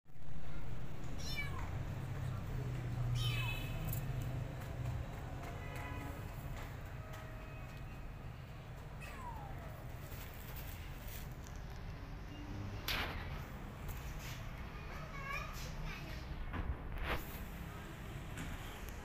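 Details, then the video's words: Kittens left alone, crying for their mother cat and looking for a nursing mother; thin, high mews come at irregular intervals, some sliding downward, over a steady low rumbling hum with occasional clicks. "Kittens Are Left Alone They Are Crying For Mother Cat Now Looking For Nursing Mother"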